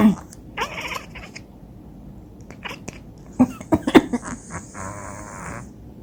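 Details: Domestic cat chattering in response to a person's coughs, with short harmonic chirping bursts near the start and a longer stuttering chatter around five seconds, interspersed with sharp cough-like thumps and a brief high hiss.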